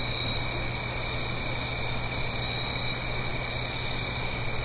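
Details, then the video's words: Crickets singing on an autumn night in the Blue Ridge Mountains, uphill from a stream, in stereo: a steady, unbroken high trilling chorus in stacked bands, over a low constant hum and a broad rushing wash. "Autumn Crickets - 9-Hour Sleep Sound - Fall Cricket Song"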